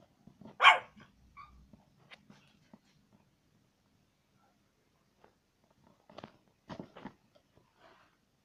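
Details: A pet dog indoors gives one loud, short bark, then after a long quiet stretch several softer barks and knocking sounds follow.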